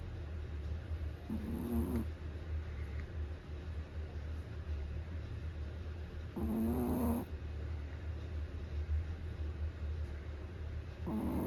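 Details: Chihuahua snoring at New Year: soft, slow rhythmic snores, each rasping breath lasting under a second and recurring every few seconds over a low steady rumble, with faint background hiss.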